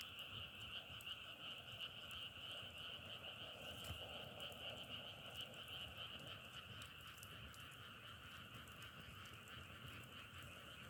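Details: Outdoor frog chorus in Korea: unbroken, shimmering trills from many frogs merge into a steady two-toned drone, with faint pulsing texture, scattered sharp crackles and a low rumble underneath throughout.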